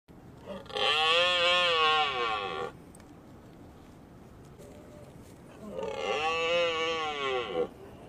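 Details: Red deer stag roaring twice, each a long hoarse bellow of about two seconds, four seconds apart, over a faint rustling background.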